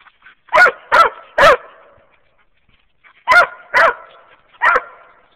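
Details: Hunting hounds, a walker hound mix and a young mountain cur crossed with black and tan, barking while treeing squirrels in Wayne County, Kentucky: two bursts of three sharp, loud barks about half a second apart.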